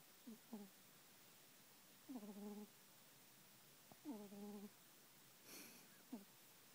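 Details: Sleeping kitten snoring softly: short wheezy, slightly whistled breaths repeated about every two seconds, faint against a steady hiss, with one brief rustle.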